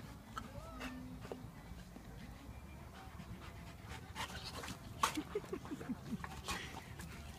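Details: Garden play fight between Myla, a one-year-old Labrador pup, and Blade the Japanese Akita; quick, scratchy panting breaths, then a cluster of short squeaky whimper-like sounds near the end.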